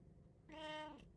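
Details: Single house cat, one of three cats in a Japanese home, recorded 8 May 2024: one clear meow of about half a second with a soft drop in pitch at the end, over low indoor rumble.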